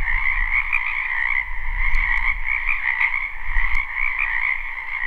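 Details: Wetland frogs croaking in spring, a live recording: the massed trilling chorus runs without pause, accompanied by low wind-like rumble and a few faint clicks scattered through.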